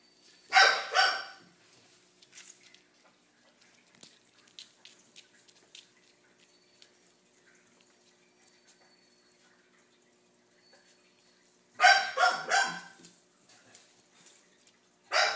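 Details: Riley, a dog kept with puppies she treats as her own babies, gives short harmonic barks in brief clusters near the start and after a long quiet gap, with soft indoor clicks and taps in between.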